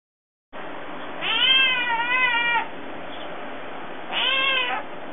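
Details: Thirteen-year-old cat Kirara, as a kitten, demanding food: two drawn-out, wavering meows, the first long and slightly undulating, the second shorter and falling, over a quiet indoor background.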